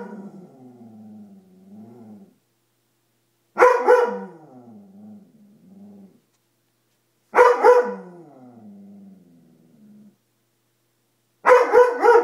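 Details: Fearful Dobermann reacting to a coat: three loud, sharp barks spaced about four seconds apart, each followed by a quieter low growling whine.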